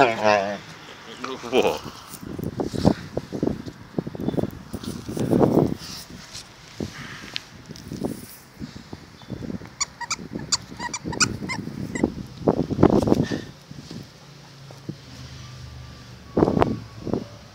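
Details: Enzo, an Akita, making funny sounds: irregular low grumbling and moaning bursts, a few drawn-out whining notes with clear harmonics, broken by short pauses, over faint rustling and outdoor background noise.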